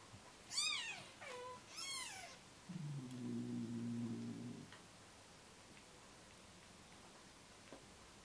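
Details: Newborn rescue kittens on their third day, losing weight and hand-fed formula; two sharp, high squealing meows early on, then a low steady droning hum for about two seconds, followed by quiet room background.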